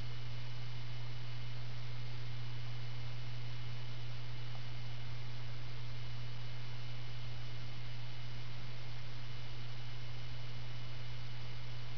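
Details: Steady electrical hum and hiss of white noise continue unchanged for the full twelve seconds.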